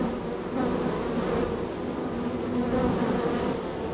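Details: Honey bees at a very active hive in a row of hives, bees coming and going; continuous low buzzing drone with faint shifting pitch as individual bees pass.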